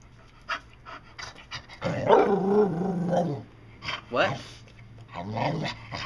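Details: Pet dog Dotty, indoors, answers a person's prompting with one long, warbling, growly moan that bends up and down like speech, followed by two shorter grumbling syllables, with a human voice and light panting around it.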